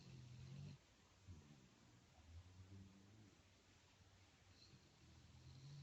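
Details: Dog snoring contentedly while being massaged in a quiet room; soft, low, purring snore breaths open the stretch, fainter rumbles follow in the middle, and another deep snore rises at the close.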